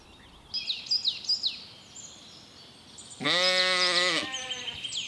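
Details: Lamb grazing in a cool green forest gives a single loud, harmonic, slightly quavering bleat lasting about a second, preceded by quick chirping birdsong in the background.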